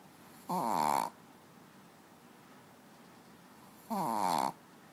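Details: Manja, a pet dog asleep on the bed, snores twice about three seconds apart, each snore a brief rasping, harmonic-rich breath lasting roughly half a second in a quiet room.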